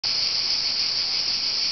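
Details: Cicadas in Olympia, Greece, among ancient column ruins on 26 July 2008, so loud they overwhelmed visitors; a steady, unbroken, high-pitched buzzing drone.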